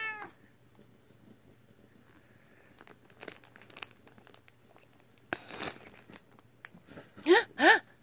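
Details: A British Shorthair cat gives two short, bright meows near the end, rising then falling in pitch.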